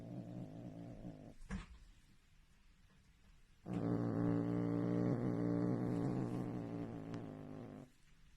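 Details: A domestic cat in a comedy compilation gives a long low harmonic growl lasting about four seconds, preceded by a shorter growl and a sharp knock.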